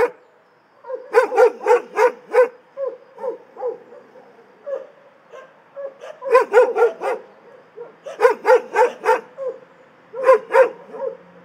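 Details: Barking dogs in an animal shelter: clusters of four or five loud barks alternate with softer yips and whines between them, repeating several times in a clean recording.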